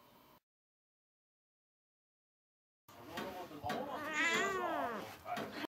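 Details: Pet cat that wants to sleep on top of its owner, giving a drawn-out, wavering meow with rising and falling pitch after a near-silent start, its tone sliding through several bends over about three seconds.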